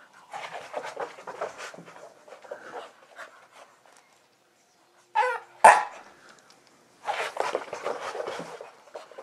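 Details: Max, a pet Staffordshire Bull Terrier, pants heavily in excited bursts while running about, breathy rapid huffs stopping and starting, with a couple of sharp thumps or knocks midway and short silences between.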